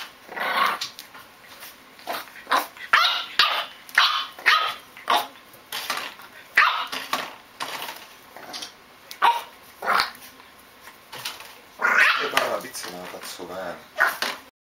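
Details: A French Bulldog puppy taking its first bottle gives short, sharp yelping and grunting bursts, repeated irregularly about every half second to second, with a louder, longer burst near the end and a faint steady high whine throughout.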